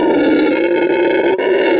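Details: Howler monkey in its natural recording: one loud, sustained, steady-pitched roaring howl with rich harmonics, held without a break for nearly two seconds.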